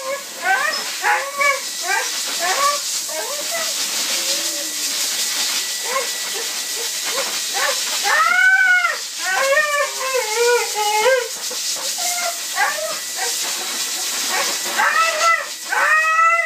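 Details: Siberian Husky that did not approve of being blow dried after its bath, giving wavering, rising-and-falling yodel-like howls and shorter whines in bursts, with a constant loud dryer hiss behind.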